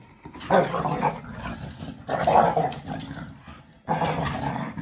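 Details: Five-month-old American Bully puppy playing on equal terms with a five-year-old American Staffordshire Terrier, growling as it takes the toy while the adult gives in; three rough, throaty growl bursts, each about a second long, separated by short pauses.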